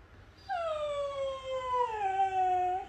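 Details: Male husky at home, sulking and turning its face away from its owner, gives a long wavering howl that starts high and slowly slides downward, rich in harmonics, with a brief lift near the end; quiet room.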